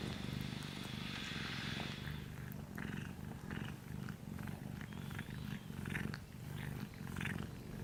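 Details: Small orange domestic cat purring in its sleep, the low rumble swelling and fading in a regular breathing rhythm about twice a second, with a soft hiss early on.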